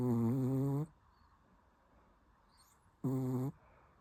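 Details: Shih Tzu snoring in its sleep: two buzzy, rasping snores, the first close to a second long and the second shorter, with a quiet pause of about two seconds between them.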